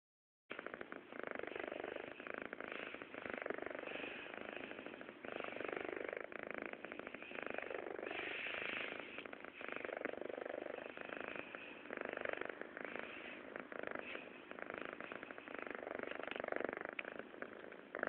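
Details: Kitten named Dashi purring steadily, a continuous rough rumbling drone with rhythmic pulses that rises and falls slightly over the whole recording, no other clear sounds.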